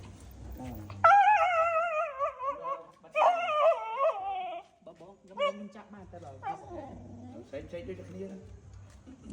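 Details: A female dog screaming in pain as if calling for help: long, wavering high yelps with rich harmonics, two sustained bursts in the first half, then weaker broken cries, with people talking nearby.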